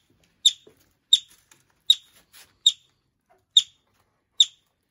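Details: Six piercing, short chirps from a yellow-bellied marmot newly arrived at a wildlife recovery centre, evenly spaced under a second apart in an otherwise quiet indoor setting.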